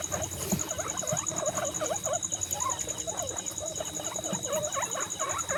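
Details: Guinea pigs at a birthday celebration give a busy run of short chirping squeaks. Each squeak dips and rises quickly, several per second, with calls overlapping one another over a steady high electronic whine.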